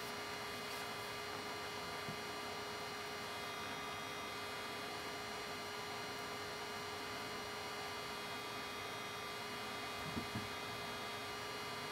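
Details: Steady electrical hum with a couple of faint knocks, with no animal sound.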